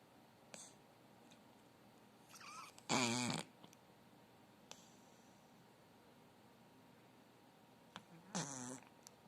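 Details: A sleeping ten-year-old Chihuahua snoring: two loud, raspy, wavering snorts about five seconds apart, with soft breaths and faint clicks in an otherwise quiet room.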